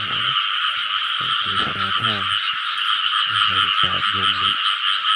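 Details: Rice field frog croaking in short bursts of deep, stacked, nasal notes, some bending down and up, in groups about a second apart, over a steady high-pitched background hum.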